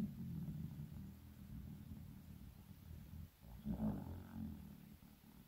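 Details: Sleeping Shiba Inu Shizukun, aged 15, with a steady low rumbling snore throughout, a slight dip in the middle and then a louder, rougher breath near the end.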